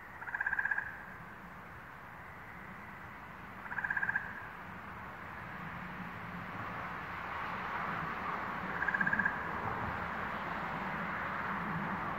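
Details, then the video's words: Frog song in New England, May 11, 2023: brief, rapid pulsed trills repeat roughly every four seconds, standing out above a continuous background chorus that grows louder toward the end. "Frog Songs - New England, May, 2023"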